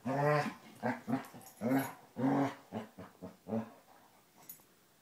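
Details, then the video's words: Rough play between two Basset Hounds, Tracker and puppy Ranger: a run of deep, throaty barks and growls with rich harmonics, closely spaced at first, then thinning and fading into quiet. "Basset Hounds playing"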